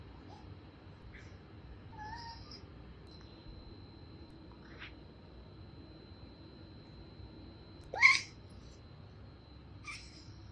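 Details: Two-year-old male Bengal cat indoors, calling back and forth with its owner through a glass window; a few faint, short meows spaced out over ten seconds, one louder rising cry near the end, over a quiet room hum.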